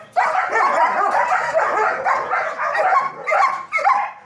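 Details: German Shepherd dogs at a training academy, barking in a dense, overlapping chorus of sharp mid-pitched barks and yips with short gaps, several voices at once.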